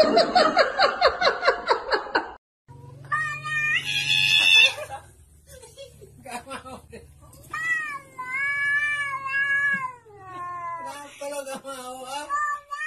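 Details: Domestic cat giving several drawn-out, wavering meows, some rising and falling, after an opening burst of rapid pulsed noise; a low hum and human voices are also heard.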